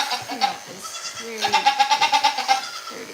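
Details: Goat at a farm giving a long tremulous bleat, its voice wobbling in quick regular pulses for over a second, after softer lower bleats from another animal and faint speech-like murmur.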